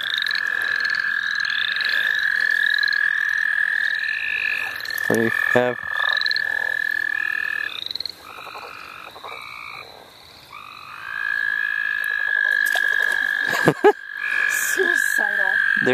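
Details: Frogs calling at the St. Olaf College Natural Lands: a long, steady, mid-pitched trill runs almost unbroken, overlaid by short, high, rising peeps repeated several times a second, with a brief lull and a few clicks partway through.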